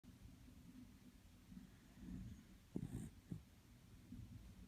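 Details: Toy Poodle dog snoring loudly while its nose twitches; steady low rumbling breaths with a few sharper snorting bursts near the middle, in a quiet indoor setting.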